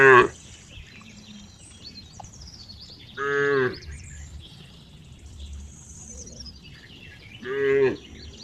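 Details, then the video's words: Cow producing two clear, sustained harmonic moos several seconds apart after a brief opening call, with faint bird chirps and a low rumble in the background. "cow funny sound"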